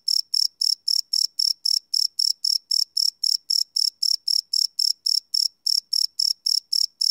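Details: Night-time cricket song captured live on a Sony PCM D100 field recorder: a bright, shrill chirp repeated roughly four times per second in a regular, continuous train with nothing else audible.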